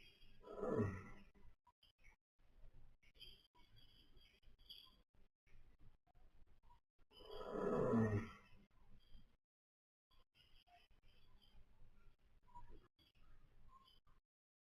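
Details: A napping baby pony (foal) snoring: two rough, breathy, low snores, one at the start and another about seven seconds later, with quieter soft breathing and faint high chirping in between.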